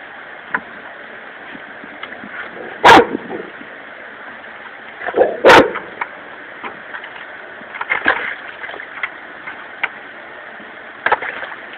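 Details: A dog barks at fish in a bucket, giving a few sharp, loud barks at irregular intervals while people talk nearby.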